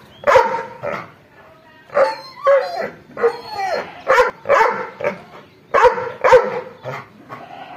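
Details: Angry dog giving loud, rough barks in short clusters of two or three, mixed with a few higher yelping notes, separated by short silences.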